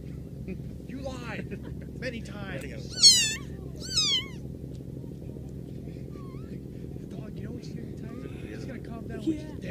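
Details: Cat giving a quick run of short, bent meows early on, then quieter faint calls, with a low background hum throughout.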